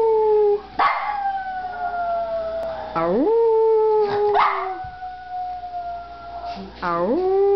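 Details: A Papillon dog gives long, wavering, wolf-like howls that swoop up, then hold and slowly fall, in response to passing ambulance sirens.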